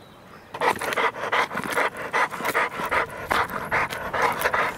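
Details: Duke, a heavyweight American Bulldog with odd-coloured eyes from heterochromia, described as a gentle giant, pants rapidly and rhythmically after a brief quiet start, about two to three breaths per second, each a breathy rasp.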